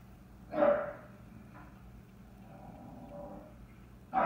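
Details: A chocolate tri merle English Bulldog barks at a bucket that he and other dogs knocked over: one hoarse bark early, a quieter muffled sound mid-clip, and another bark cut off at the end, over a low background rumble.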